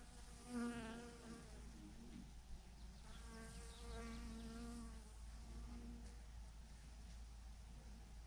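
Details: Bees by the thousands clustered on a branch in one huge clump; close fly-past buzzes with strong wavering tones come in bursts over a constant low rumbling hum.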